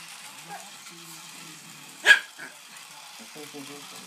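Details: Rascal the dog barks at a toy train: one sharp, loud bark near the middle, with a person's quiet voice before and after.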